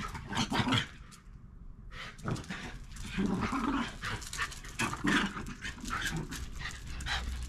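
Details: Backyard Shiba Inus, a parent and offspring, play-fighting quietly by nipping at each other's cheeks, with soft low growls amid huffing breaths and scuffling.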